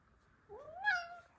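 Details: Male house cat indoors, upset and angry after a new male Russian Blue cat was brought into the house the evening before. A single short meow that rises steeply, then holds and fades. A woman speaks Romanian around it.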